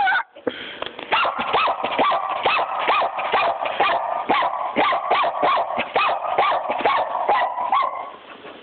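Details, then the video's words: Puppy named Smokey, a female, barks in a rapid run of sharp high yaps, roughly two per second, steady and insistent, after she is scolded to get out and shut up. "Smokey the puppy barking"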